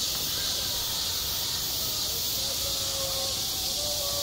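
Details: Cicadas calling in summer over a school playground: a continuous sizzling high-pitched buzz, slightly softer here, with a few faint drawn-out tones below it.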